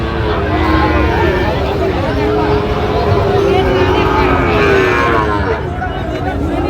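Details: Sahiwal bull calves at a cattle market in Cumilla, Bangladesh, on Thursday 4/9/25. A drawn-out, low, steady moo runs from about three to five seconds beneath continuous crowd chatter and a vehicle hum.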